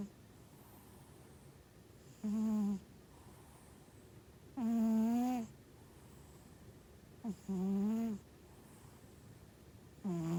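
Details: Domestic cat asleep at home, a healthy animal whose snoring was linked to small nostrils, giving four humming, nasal snores about every two and a half seconds, one longer and slightly wavering in pitch.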